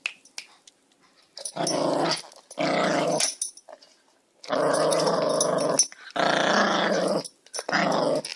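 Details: Dogs indoors growling while playing, in long rough rumbling bursts of one to one and a half seconds, separated by short quiet gaps, with a few sharp clicks between them.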